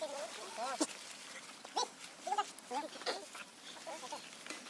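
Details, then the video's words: A young male monkey cries out under his mother's abuse. Short, high, wavering screeches bend up and down, several in quick succession over a noisy background. "big screechig so bad mum Libby abusing Leo big scream poor boy"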